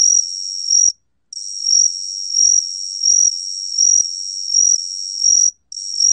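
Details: Gaksi-gwitturami cricket song from Korea's National Institute of Biological Resources, 2020: a continuous high, thin ringing trill that swells in loudness about every 0.7 seconds, broken by two brief silences; no other sounds.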